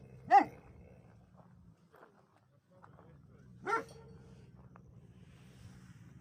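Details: A livestock guardian dog gives two single sharp barks about three seconds apart over a low steady hum, otherwise quiet.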